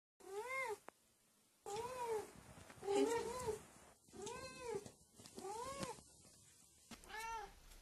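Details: Domestic cat meowing: six clear, tonal, arching meows with rising then falling pitch, spaced irregularly across the recording with short quiet gaps between.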